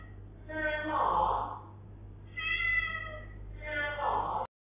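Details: A talking British Shorthair cat complaining about a long bath gives three drawn-out, wavering meows over a low steady hum.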